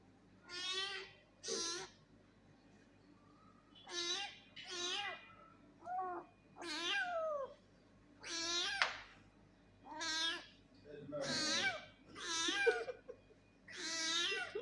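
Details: Angry cat Lucy meows over and over indoors, a string of about eleven loud wavering meows, each roughly half a second to a second long, some falling in pitch, spaced about a second apart.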